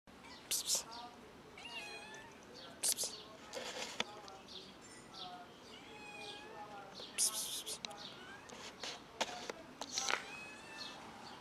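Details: Black mother cat with her kitten feeding on her milk; repeated short rising-falling meows with clear harmonics, several in quick bursts around one to three seconds apart, with some broadband clicks and rustling between.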